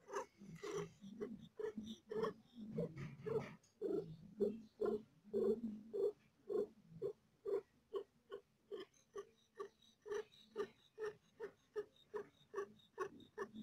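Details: A cat in labour with four kittens, hurting: steady, evenly spaced purring breaths, close to two per second, forming a long, regular train of soft pulses over a low drone.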